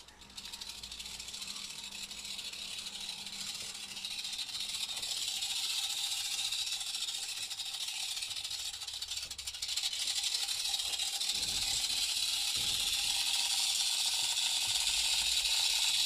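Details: Central American rattlesnake (Crotalus basiliscus) in its terrarium enclosure, giving a continuous dry, hissing high buzz that swells louder after about ten seconds and holds steady to the end, with no other clear sounds.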